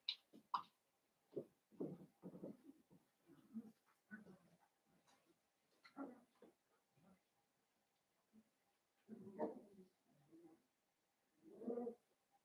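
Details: Blenheim Cavalier King Charles Spaniel puppies from a litter of five born at New Year, indoors in a home puppy pen; short squeaky whimpers and grunting yelps come in irregular bursts, some louder clusters near the end, in a quiet room.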